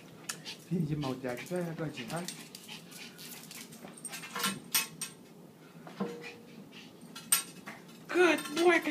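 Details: Excited Maltese and Yorkshire Terrier pets at play indoors, greeting their owner home from an overnight shift: a run of high, wavering whimpers with harmonics, scattered yips and squeaks, and a voice repeating "good boy".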